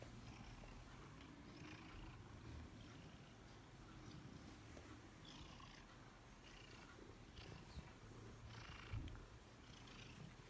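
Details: A 15-year-old Bengal cat purrs in a steady, low rumble that runs without a break.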